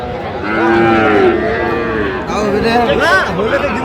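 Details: Sahiwal bull calves at a busy cattle market in Gaibandha, Bangladesh, on 17 November 2025: overlapping drawn-out moos with wavering pitch, one after another, over a constant murmur of crowd chatter.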